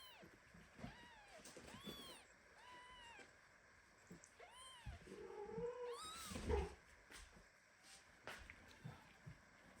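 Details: Premature kitten meowing indignantly while its mother cat hugs it tightly among a litter of kittens; several high, arching meows in quick succession, a louder drawn-out cry near the middle, light rustling between calls.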